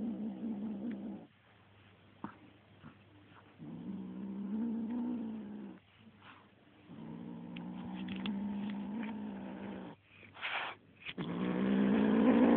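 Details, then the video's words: Little kitten turning mean on a feather toy, growling in long, throaty, harmonic rumbles of two to three seconds, broken by short gaps and faint rustling, ending in a louder rising growl. "kitten growling at feather toy"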